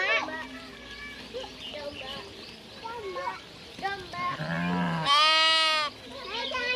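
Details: Garut sheep being herded out to graze: one loud, strongly harmonic, slightly quavering bleat lasting under a second near the end, preceded by people talking and other short animal and human voices.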